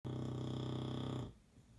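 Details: An English Bulldog napping on a bed after a hard day snores with a long, deep, rattling drone full of buzzy texture, then stops abruptly in a quiet room.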